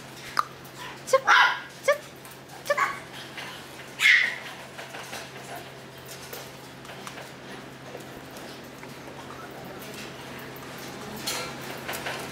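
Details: Misty, a Maltese dog, gives a quick run of short, high yips over the first four seconds, then the rest of the clip stays quiet with faint room noise.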